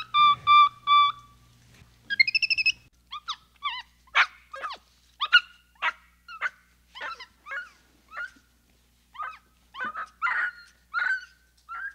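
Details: {'caption': 'Capuchin monkey calls: a few steady whistled notes followed by a long irregular series of short chirps and squeaks, some sliding up or down, coming several per second over a faint background hum.'}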